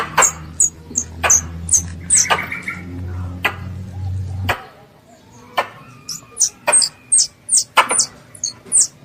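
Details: Squirrel, called a pest, calling for its mother: runs of high thin chirps slurring downward, broken by sharp clicks, with a low droning hum in the first half that stops abruptly before a final burst of chirps.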